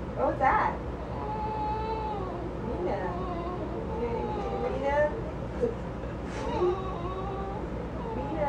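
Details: A 6½-year-old female Basenji yodels in long, wavering, tuneful howls that slide up and down, singing along with a flute her owner plays or pretends to play.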